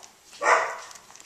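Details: Australian Shepherd puppy, one of a litter 18 days old just starting to play, gives a single brief, bright yelp rising and fading within half a second; quiet room otherwise, a person speaking softly nearby.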